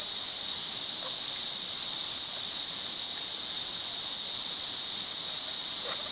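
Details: Wild cicada buzzing at Monaragala in Sri Lanka, an unbroken piercing high whine sustained evenly throughout, a few faint ticks and rustles underneath.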